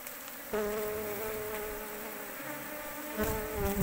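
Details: A large Asian honey bee colony in an oil palm plantation. A single bee hovers near the recorder and holds a steady, even drone. Its pitch dips slightly once, then a second buzz swells in loudly near the end.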